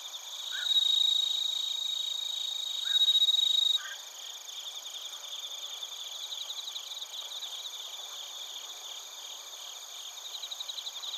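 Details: Bell crickets and other crickets chirping together in Narita, Chiba Prefecture, Japan, recorded on a TASCAM Portacapture X8: a loud, steady, high ringing trill for about four seconds, then a chorus of rapid, pulsing high chirps continues.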